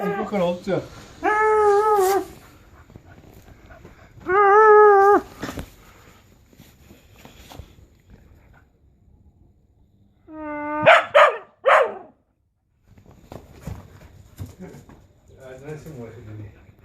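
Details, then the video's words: Charlie, a dog, in June 2015, makes drawn-out, tonal whining sounds in three bursts of about a second each, the last rising sharply in pitch, with soft murmuring and rustling noises between and afterward. "Charlie making noises June 2015"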